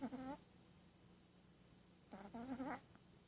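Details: Shih Tzu puppy asleep and dreaming, giving two squeaky, nasal, tonal snores, each a short whistly whine that wavers and rises slightly, separated by a quiet breath-length pause; quiet indoor background.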